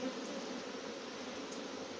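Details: Stray honey bee swarm arriving near a bee yard, not from the keeper's own hives; thick unbroken buzzing drone from many bees, level throughout, with a brief click at the start.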